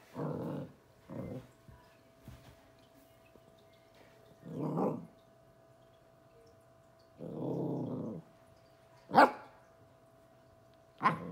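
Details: Young Corgi puppy, twelve weeks old, confronting a bug: a string of low rumbling growls of varying length, then two sudden high, sharp barks near the end, against a faint steady hum.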